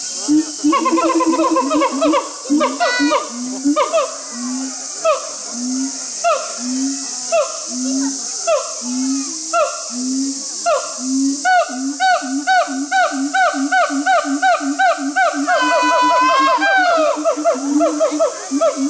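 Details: Brave and Heart, siamangs at Chiba Zoological Park in Chiba, Japan, on 2 August 2020, in full performance: loud rhythmic barking hoots roughly once a second, layered with rising notes, building to a sweeping high whooping scream near the end.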